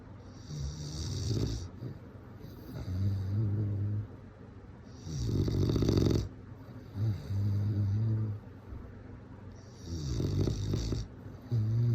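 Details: A bulldog snores while sleeping, with rattling low snores and breathy hissing exhales alternating irregularly, about every two seconds, loud and close with no other sounds.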